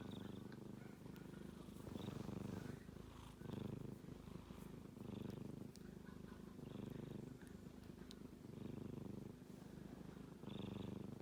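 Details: Snoring of a male kitten as he sleeps: steady low pulsed rumble in repeated breath-length swells, roughly one every second or so, with occasional faint high squeaks.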